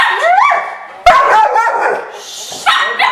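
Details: Golden Retriever household: a puppy pesters a big adult Golden Retriever, which hides her head; rising whining yelps and a squealing cry sound, then sharp short barks near the end.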